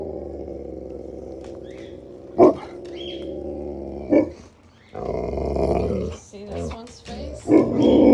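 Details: Alaskan Malamutes howl and grumble in long, wavering tones in the morning, reminding the owner to feed them their promised big meal despite earlier fish.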